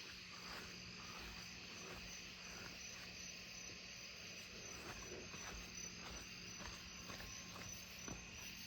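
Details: Columbian trigs in low tree branches at night after rain, July, give a high, thin, continuous trilling song amid a chorus of other night insects, including a nearby tree cricket and Cope's gray tree frogs.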